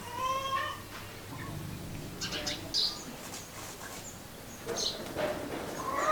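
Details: Cat vocalizing among familiar animal activity, a short rising meow at the start and another climbing meow near the end, with scattered chirps and background voices between.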